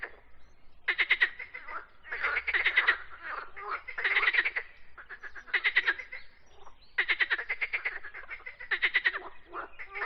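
Frogs croak in rapid bursts of rough, pulsed notes, one chorus overlapping another.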